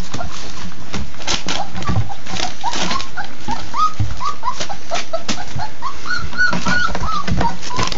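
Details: Labrador Retriever puppies at their first real meal; soft high whimpers, sparse at first and then more frequent near the end, over loud smacking and lapping noises.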